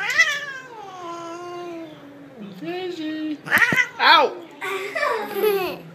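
A Siamese cat gives a long, drawn-out yowling meow that slides downward, then shorter meows.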